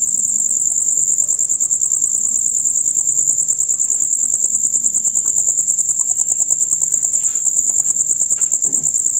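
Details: Loud rapid chirping from male crickets, a concert usually heard from dusk until dawn; a shrill, even, finely pulsed buzz holds constant throughout, with soft low rustling beneath.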